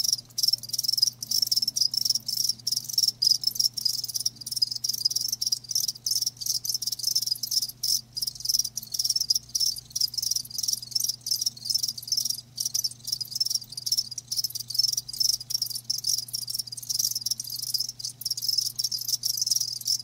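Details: Live crickets chirping in a dense, continuous chorus of high, rapid pulses that flicker without pause, with a faint steady low hum underneath.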